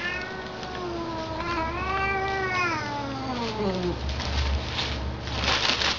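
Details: Domestic cats play-fighting at home: a long drawn-out caterwaul with rich harmonics, rising then sliding downward over about four seconds, followed by scuffling noises and a steady low hum.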